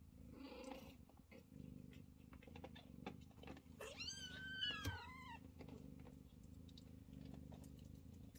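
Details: Scottish Fold mother cat Chloe lies still nursing her grown kittens as they push and fight for a place at her side; a steady low rumbling purr runs throughout, broken by several high, arching kitten mews mid-clip.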